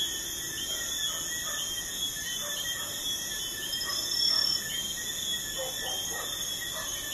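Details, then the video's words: Crickets at night beside a busy highway: a steady, unbroken high-pitched trilling chorus in several layered bands, with faint scattered lower chirps beneath and a slight swell in loudness midway. "Crickets at night by a busy highway"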